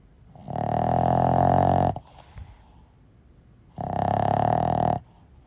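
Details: Boston Terrier sound asleep and snoring: two drawn-out, grating snores, the first about one and a half seconds, the second a little shorter, with a soft snuffle in the pause between them.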